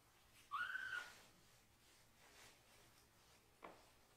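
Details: Rescued baby kitten being bathed from the waist down. One short, thin, whistle-like cry that rises then levels off, followed by soft room noise and a brief faint click.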